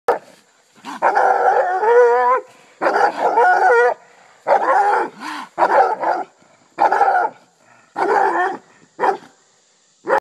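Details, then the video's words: Bluetick Coonhound giving loud, drawn-out baying barks in bursts of about a second, some with a wavering, yodel-like pitch, separated by short pauses, with no other sounds. "Blue tick hound dog"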